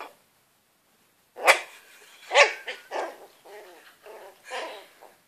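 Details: Young Shetland Sheepdog confronting a cat: two strong barks about a second apart followed by a run of higher yipping, whimpering barks, roughly one per second.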